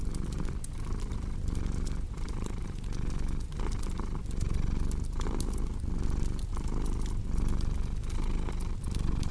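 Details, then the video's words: Continuous deep purring of a cat, its rumble cycling with each breath about every second and a half, accompanied by steady crackles and pops of a burning fireplace. "Purring Cat with Cozy Crackling Fireplace Sound"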